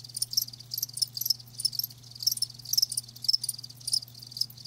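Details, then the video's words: Live crickets give bright, high chirps grouped in short bursts roughly twice a second, irregularly spaced, with a quiet low electrical hum running throughout. "Live Crickets 60min "Natural Sound""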